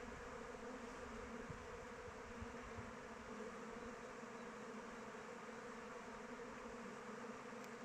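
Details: A hive's honey bees flying about in open weather: a soft, steady drone of wings, quieter and even, with a couple of faint ticks and no other sounds.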